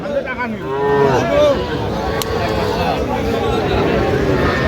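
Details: Young Sahiwal bull and heifer calves at a busy cattle market in Madaripur on 13 January give a high, wavering moo that bends upward and then falls, over a steady babble of men talking and bargaining.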